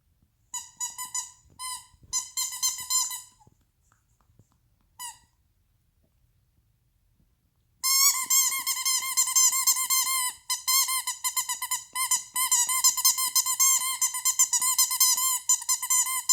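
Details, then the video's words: Pet Shih Tzu Toto whining indoors to get attention; a few short squeaky bursts, a pause near the middle, then a long run of high wavering whines in rapid pulses, about two per second. "Toto makes noise to get my attention!!"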